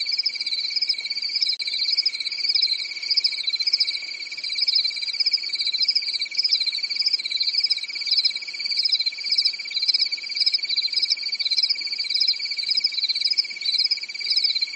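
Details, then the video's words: Crickets chirping through a calm summer night in a European forest: a dense, steady chorus of high, rapidly pulsed trills, one continuous tone beneath a wavering, throbbing upper band, unbroken throughout with no other sounds. "Grillen zirpen in der Nacht"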